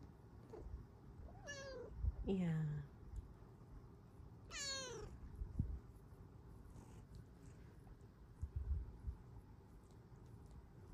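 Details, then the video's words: Female Bengal cat on a lap, asking to cuddle, gives three or four sliding harmonic meows in quick succession, the longest falling steeply, with a person's soft voice and faint purring between them indoors. "Lap kitty asks to cuddle with her NICEST meows!"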